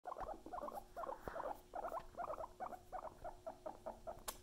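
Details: Pet guinea pigs making rapid runs of short, bright chuttering pulses, several per second in quick clusters, with a faint steady hum underneath.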